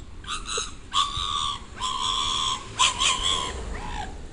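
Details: Pit Bull making funny vocal sounds, captured covertly with a sound recorder: a run of sustained, high, nasal whines in short bursts of about half a second to a second, over light background hiss.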